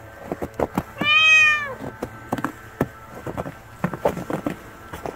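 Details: Starving stray kitten letting out a single loud meow that arches up and falls away, surrounded by rapid tapping and clicking noises.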